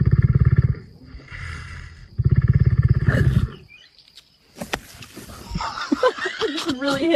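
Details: Lion snoring in deep, rumbling low pulses repeated about three times a second for roughly three seconds, then people talking and laughing over snorts and scuffling noises.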